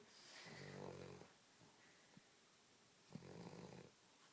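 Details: Rocky the dog sleeps on a couch indoors and gives two drawn-out, rattling snores, each lasting under a second, separated by a quiet pause with faint clicks.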